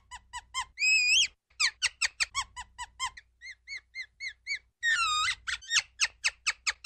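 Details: Ground squirrel calling in rapid bursts of high, piercing chirps, broken by two longer drawn-out wavering whistles. Short soft notes fill the gaps between the louder runs.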